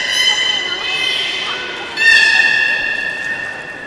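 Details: Beluga at the Port of Nagoya Public Aquarium during a public training session on 18 July 2016, 13:30 show, giving a sustained, richly harmonic whistle that breaks off briefly and resumes higher and louder in an indoor hall.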